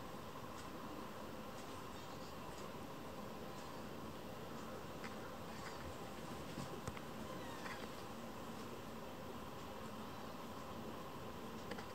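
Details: Only a faint, steady indoor hiss with a few soft ticks and clicks is heard, with no animal sounds.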